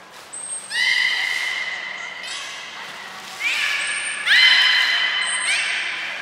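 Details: Captive belugas Hodoi, Gray, Nana and Niko during a training session at Port of Nagoya Public Aquarium, 5 June 2021: two long, bright, harmonic whistle-like calls that hold steady, each preceded by a short high, thin whistle tone.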